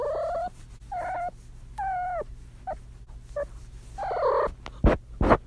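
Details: Female kitten in heat trilling: a string of short, wavering, warbled calls with bending pitch, several bursts spaced across a few seconds, followed by two sharp knocking thuds near the end.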